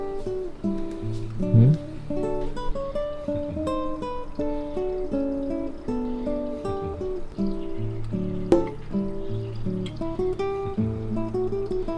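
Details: Cheerful plucked acoustic guitar or ukulele music playing steadily with a bass line, no animal sounds audible.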